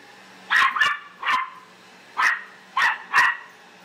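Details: Australian silky terrier dog indoors barking at a vacuum cleaner: five sharp, loud barks in quick bursts, some paired, over a low steady hum, with a person saying "hey" afterwards.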